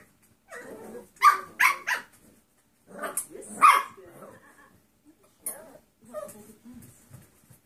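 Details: A litter of seven-week-old mixed breed foster puppies lets out a few rough high barks in pairs, then softer scattered yips and grumbles trailing off.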